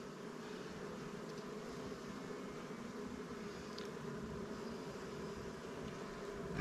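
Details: Honey bees in a recently captured swarm colony, housed in Langstroth and Warre hives, while honey frames from stronger hives are added. A steady low droning buzz from many bees fills the recording, even and continuous throughout, with a few faint clicks.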